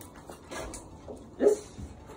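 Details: A long-coat Chihuahua lets out a sudden, sharp high yelp of distress while receiving a rabies vaccination at a vet check-up, though it usually tolerates injections.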